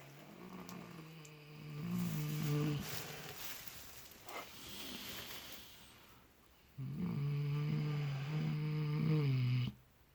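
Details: Snoring from miniature potbellied pigs Clutch and Penelope, asleep in fresh straw and apparently dreaming; steady low harmonic drones, a softer snuffly stretch with rustling, then a strong three-second snore that stops abruptly.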